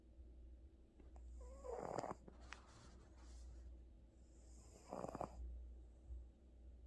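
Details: Gucci, a house cat exhausted from a vet visit, snores in sleep: a rough, wheezy inhalation followed three seconds later by another hoarse snore, over a constant low droning background.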